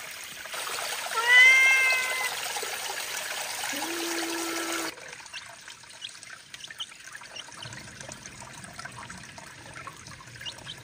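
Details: Cat by cold mountain spring water on a hot day gives a single clear arching meow early on, followed by a steady low hum and quiet trickling water.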